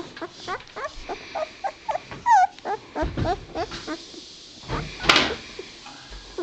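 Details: Two-week-old White Shepherd puppies whining in a steady string of short high whimpers, several wavering down-slurred cries and one louder drawn-out whine, with a soft rustle or thump near the end.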